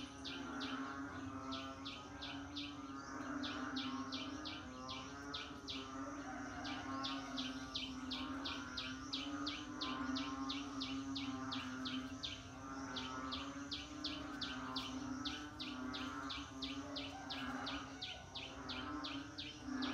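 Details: Rainy-season frog chorus with fast trains of sharp, high ticking pulses in repeated bursts of about a second, beneath them a rolling, pulsing croak, all over a constant low hum.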